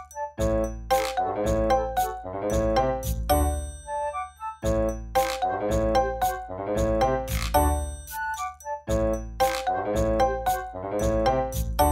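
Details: Cheerful chiming children's-style melody of bell-like notes repeating in phrases every few seconds, with no animal sounds.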